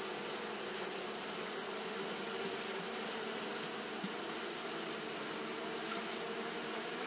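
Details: On a hot day, Japanese honey bees keep fanning without pause, giving an even, sustained buzzing drone with low harmonic layers, backed by a continuous high-pitched hiss.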